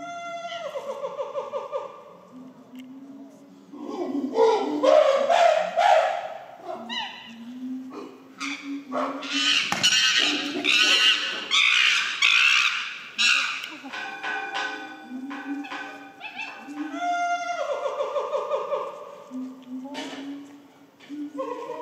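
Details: Chimpanzees at Higashiyama Zoo in March 2024, after rain, give hooting calls that build into loud, shrill screams, then settle back to hoots; a young female chimpanzee is screaming.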